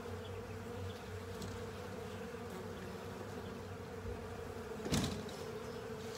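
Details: Honey bees and assorted insects tidying a honey filter: a constant humming drone with a deeper rumble early on, and a short louder burst of buzzing and rustle about five seconds in.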